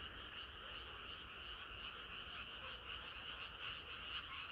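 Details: Chorus of frogs on a hot summer night: many croaking voices blend into a steady, buzzing wall of sound, with faint pulsing and no clear individual rhythm.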